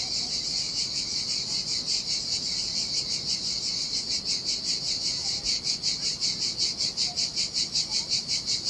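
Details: Cicadas singing in the summer heat by the sea on a desolate beach in Sardinia: a dense, high buzzing drone pulsing about two to three times a second, with low surf wash beneath and faint bird notes.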